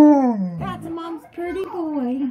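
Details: Tonka, a pet Alaskan Malamute, gazes out his window indoors, giving a low growl-howl: a smooth tone sliding downward, a brief break, then wavering talkative howls that fall again at the end.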